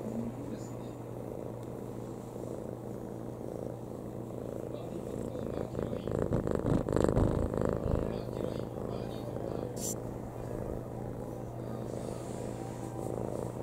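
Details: Domestic cat lying on a person's lap, purring contentedly indoors: a steady low rumbling drone throughout, swelling slightly louder midway, with faint rustling.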